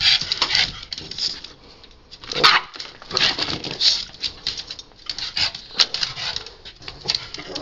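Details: A rescued Cavalier King Charles Spaniel, excited to go outdoors in the morning, gives short, sharp, repeated barks to be let outside while a person talks to him.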